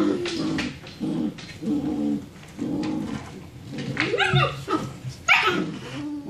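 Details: A litter of six-week-old German Shepherd puppies play fighting indoors after dinner, giving overlapping low growls, rough grumbles and sharp rising yelps, with bursts every second or so.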